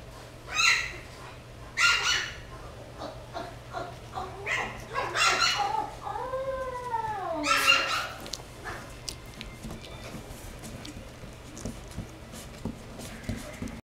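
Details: Jack Russell Terrier giving a rising-then-falling howl near the middle, preceded by several short yelping barks and whimpers, with a steady low hum underneath.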